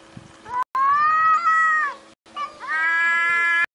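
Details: Cat uttering two long, drawn-out meows, the first held steady before dropping away, the second rising and sustained, loud and tonal over a faint low hum.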